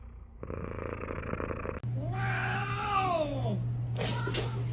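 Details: Pet cat giving a buzzy, rattling purr-like trill, then a long drawn-out meow that rises and falls in a smooth arch, followed by a short higher call; a steady low electrical hum underlies it.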